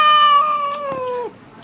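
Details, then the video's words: A cat at a cat and dog cafe in China, trying to steal food from a diner, gives a drawn-out, steady meow lasting over a second that falls slightly at the end; a person's voice is heard around it. "Cat Stealing My Chicken Wing At Cat Cafe"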